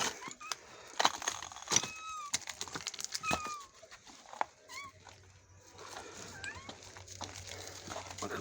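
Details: Mother cat with her recovered kitten; a few faint, short, bending meows scattered through loud knocks, rustling and household noise, with soft human voices in the background.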